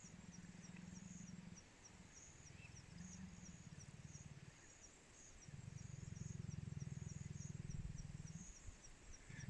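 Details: Faint, deep growling or rasping from leopards in Mala Mala Private Game Reserve, Greater Kruger, one an older female born February 2013, in long, rough, rumbling bouts with high insect chirps overhead.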